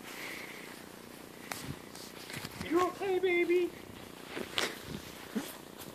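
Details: Siberian Husky, angry while a German Shepherd puppy plays with it: a brief low wavering grumble-howl that wobbles up and down in pitch, with soft rustling, scuffles and quiet human speech around it.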